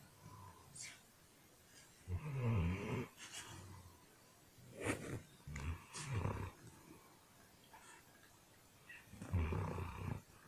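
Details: Sleeping dog snoring loudly, likened to a snoring man; deep rumbling snores below a low pitch, each lasting about a second, recurring roughly every two to three seconds with quieter breathing between.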